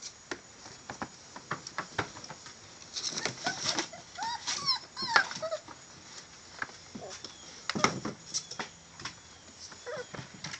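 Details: Male Catahoula bulldog puppies whimpering: a cluster of short, high, arching whines mid-clip, some rising then falling, over steady scratching, shuffling and tapping noises, with a few more soft whines later.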